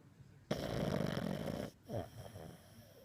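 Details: Max, a pug, snoring while dreaming: one long, rough, rasping snore lasting about a second, followed by softer snuffling breaths.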